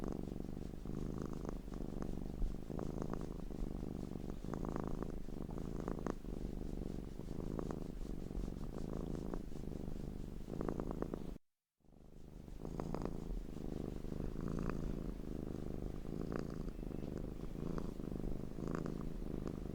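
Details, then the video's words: Domestic cat, looped: a continuous low rumbling purr that swells and fades in regular breath-like pulses about once a second, broken by a brief total silence near the middle. "Crazy Looped Cat Sounds"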